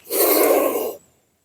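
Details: Medium-sized Indian spectacled cobra, rescued at night and showing wild aggression before release into the jungle, hissing unusually loudly for its size: one forceful, breathy, roaring hiss lasting about a second, then abrupt silence.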